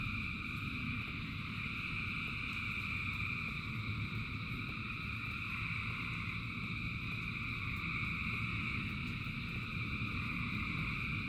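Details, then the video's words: Thousands of frogs singing in the rain, merging into a steady, unbroken droning chorus of layered high trilling tones, over a constant low rumble and patter of rainfall. "Frogs in Rain 2 Hours of Frogs, Thousands of Frogs Singing"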